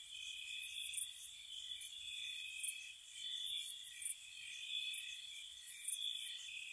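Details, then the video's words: Crickets chirping softly on a spring night by a cottage: steady shrill buzzing background with bursts of sharper, higher chirps, about three clusters across the few seconds, unevenly timed. "Cricket Sounds"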